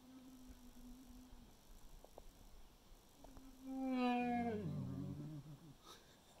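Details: A bear at a bait site in Manitoba in spring 2021 gives drawn-out, tonal moans while vocalizing to other bears, the second louder and wavering before sliding into a lower rumble.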